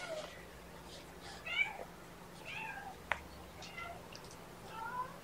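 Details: Rescued kittens at Purrfect Pals, mother Seraphina nearby, mewing during lunchtime handling: about five short, bright mews, several bending up then down, spaced roughly a second apart, with a low hum and an occasional sharp tap.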